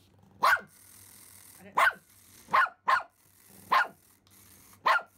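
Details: Pomeranian Simba barking at a remote-control mouse toy: six shrill, clipped yaps spaced irregularly, roughly one per second, clear against a quiet room.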